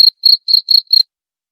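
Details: Cricket chirping, played to drive away rats and used as a lure sound: five clean, high-pitched trilled pulses about a quarter second apart, then silence, with nothing else heard.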